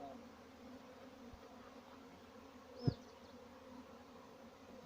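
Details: Honey bees on a farm in Pakistan buzz in a soft, steady low drone, broken by a sharp knock near the middle and a faint high chirp.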